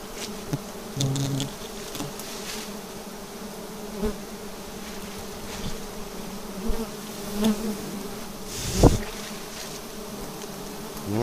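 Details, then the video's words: Bees around a unique nest hanging from an upright tree trunk while the hive is being dealt with: a steady low hum persists throughout, with occasional knocks, a brief voice and one sharp clatter near the end. "Sarang lebah paling unik 2022‼️ Hinggap dipohon tegak lurus."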